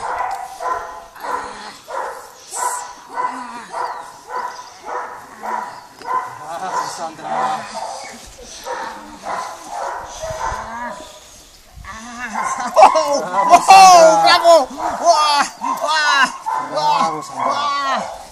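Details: A Belgian Malinois puppy, four months old, gives a long run of evenly spaced barks for about eleven seconds. The barks then turn into louder, higher, squealing yips and whines mixed with voices.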